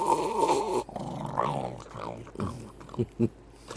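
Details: Domestic dog, moody in the morning, giving a wavering, harmonic grumbling growl for almost a second, then softer uneven voiced moans mixed with a person's low voice and a couple of short thumps near the end.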